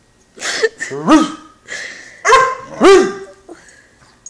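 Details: Eleven-week-old Great Dane puppy in a temper tantrum over climbing onto the couch alone, letting out several high, yelping barks and whiny cries in quick succession, each with a rising then falling pitch.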